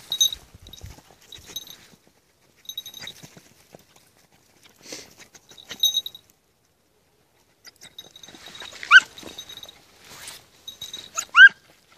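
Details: Red-bluetick Beagle puppy, 20 weeks old, during hare-hunting practice at night: two sharp, rising-then-falling whining yelps near the end, after soft rustling and scattered clicks, with a steady thin high tone running underneath.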